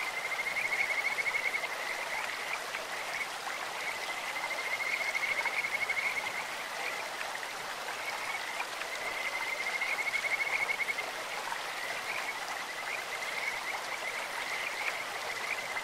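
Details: Kajika frogs calling in a clear stream, a beautiful voice like a bird or insect. High, steady-pitched trilled whistles come in bouts of one to two seconds, roughly every four seconds, over constant rushing water.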